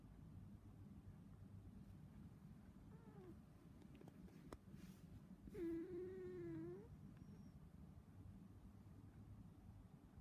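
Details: Izzy, a cat lying down and purring: a soft continuous low hum runs throughout, broken midway by one drawn-out, wavering meow lasting about a second, plus a faint shorter mew earlier; quiet indoor background.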